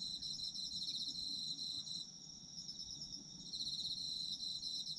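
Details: Autumn insects calling as a sleep soundscape: dense, high, shimmering trills in overlapping bands, with rapid pulsing chirps, a brief lull near the middle, then the chorus swelling back; faint low rumble beneath.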